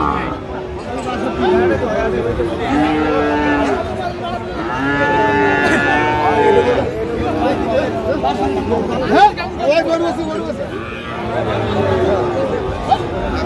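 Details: Sahiwal bull calves at a cattle market in Narsingdi, Bangladesh, on 19 January 2025, while farmers buy; loud drawn-out moos with rich harmonics rise over steady crowd chatter and men's voices.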